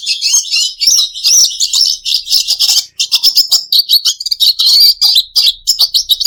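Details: Red siskin, kept as a pet bird, singing a fast, high, continuous twitter of buzzy trills and chirps with short sweeping whistles, barely pausing for six seconds; no other sounds.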